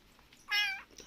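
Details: Kitten abandoned by the roadside, just finished drinking milk, gives a single brief high-pitched meow, clear and level, in a quiet room with a woman talking nearby.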